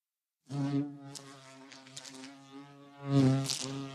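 A bumblebee hums with a deep, continuous drone from its beating wings. The buzz wavers slightly in pitch and grows louder and rougher near the end as the insect comes closer.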